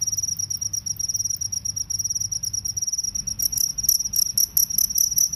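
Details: Field crickets give a smooth, continuous, high ringing trill; after about three seconds a louder, choppier pulsed chirping, from forest crickets (jangkrik kalung), takes over in quick bursts.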